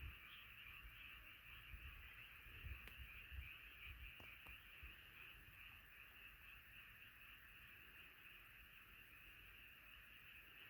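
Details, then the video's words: Frogs singing together as a night chorus, a dense steady high-pitched trilling that runs unbroken throughout, with a low rumbling murmur underneath and a couple of brief clicks. "자연의 소리 개구리소리"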